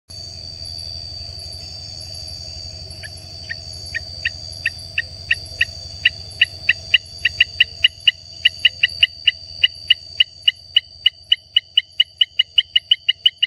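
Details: A Baramica frog (Hylarana baramica) sings a series of short, sharp clicking notes that quicken and grow louder.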